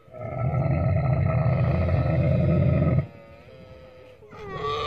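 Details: Deep, rapidly pulsing gurgle from a camel, a throaty rattling roar lasting about three seconds, followed by a quieter pause and the start of a higher moan.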